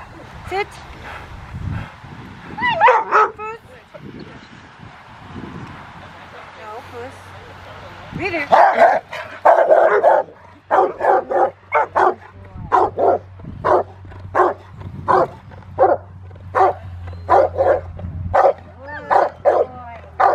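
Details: Rottweiler Willie v Schwarzerwald at Victoria Rottweiler Club on a rainy December day with a helper; after speech and background noise, a steady series of sharp barks repeats roughly every second, with a low hum underneath.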